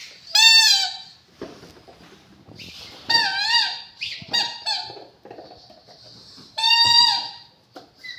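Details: Rottweiler letting out loud, high-pitched squealing whines, three long drawn cries that bend downward in pitch, separated by softer short squeaks and quiet pauses.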